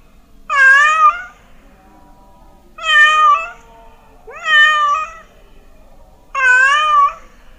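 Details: Cat meowing, said to make mice run away: four loud, drawn-out meows with rich harmonics and a wavering pitch, spaced about two seconds apart, in a quiet room.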